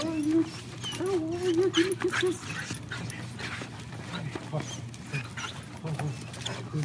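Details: Dog greeting soldiers returning home after an absence, excited reunion; high wavering whines rise and fall in quick runs over the first two seconds, then fade under people talking warmly, with a steady low hum throughout.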